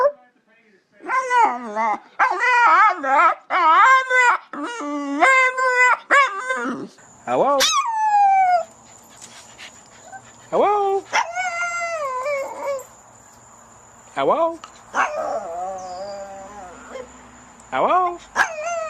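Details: Dog making funny noises: irregular bursts of short, wavering yelps and whines, rising and falling in pitch, with a few longer howls and quiet gaps between phrases.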